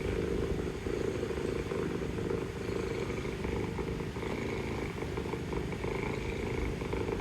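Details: Continuous low pulsing purr from a mother cat talking to her kittens, filmed among street cats in Istanbul; the rumble holds steady throughout, over a persistent mechanical drone of passing vehicles.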